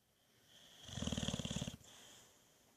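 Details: Buddy, a Boxer dog, in a sound sleep before being woken: one snoring breath of rapid, fluttering low pulses lasting under a second, then quiet breathing, over a steady high buzzing hum in the background.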